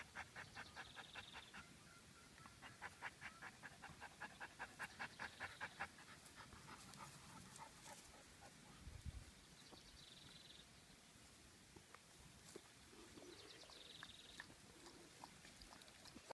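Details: Wolfadoodle dog resting in the shade on a hot summer day: rapid rhythmic panting, about two and a half breaths per second, with outdoor background noise and faint high tones.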